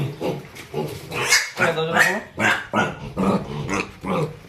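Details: Pigs on a farm that rears and sells them make quick repeated grunts about twice a second, mixed with short harmonic squeals, over people's voices nearby.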